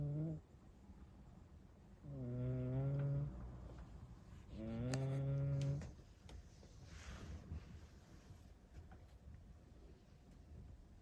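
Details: Rescued cat snoring: a short drone, then two longer low, rumbling snores about two and a half seconds apart, followed by rustling and faint handling noises.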